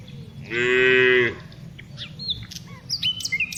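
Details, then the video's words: Afternoon herding of tame cows: a single short, nasal moo under one second, then varied bird chirps and whistles over a constant low background rumble. "Cows Sounds"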